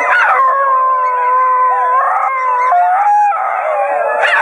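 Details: Several basenjis in Wimauma sing together, joined to a small adopted male who leads; long wavering yodel-like howls with shifting pitch, overlapping voices sliding up and down, rising again at the end.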